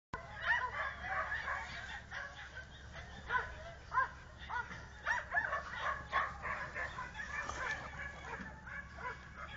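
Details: Clumber Spaniel dog giving short, sharp yelping barks at irregular intervals, roughly a dozen bursts spread through the clip, over a steady murmur of background noise.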